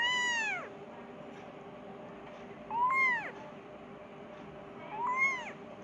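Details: Persian kitten crying for its mother, wanting food; three short arched meows spaced about 2.5 seconds apart, the later two quick and downward-curving, with a constant background hum.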